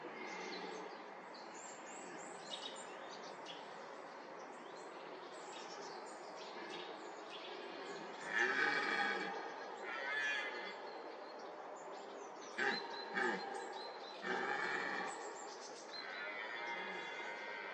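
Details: Red deer stag with fourteen-point antlers during the rut in young oak woodland. It gives a series of hoarse, harmonic roars of varying length, clustered in the second half. Faint bird chirps sound throughout over a steady background hiss.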